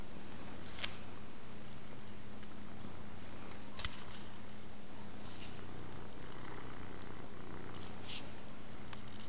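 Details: Pet cat purring while asleep, a continuous deep rumbling drone with a steady rhythm, faint breathy sniffs and small rustles now and then in a quiet room.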